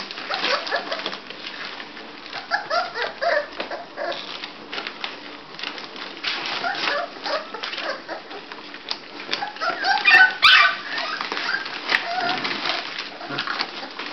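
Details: Bulldog puppies at five weeks old whimper and squeak in a small room: a rapid, uneven string of short, nasal whines overlapping one another throughout, mixed with rustling and movement sounds.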